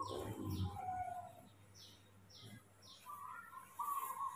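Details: Baby monkey Mobi, fussy and clingy after waking in the morning, gives thin whistled squeals, some slightly falling, against a steady run of high descending chirps from another creature and a low constant hum.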